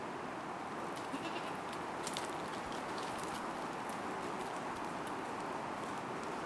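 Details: A Kiko/Boer cross mother goat gives low, steady bleating calls to summon her two-and-a-half-month-old daughter for milk.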